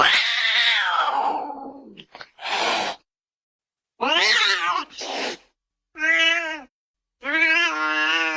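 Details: Domestic cat voicing a mix of calls: a drawn-out falling, raspy cry, short harsh noisy bursts, then two clear, steady, tonal meows separated by brief pauses.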